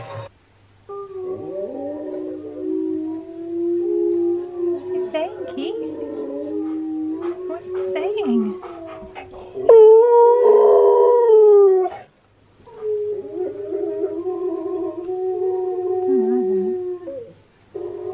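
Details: Steel the husky howling and singing, with Key the husky reacting in fascination. Long, wavering, tonal howls continue across the clip. One loud, rising, strained phrase sits in the middle, mixed with voices and light music.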